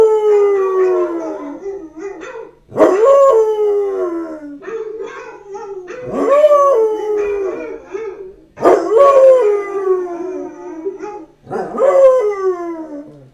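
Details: A Basset Hound about one year old howls in long, mournful notes that break upward, then slide down and trail off.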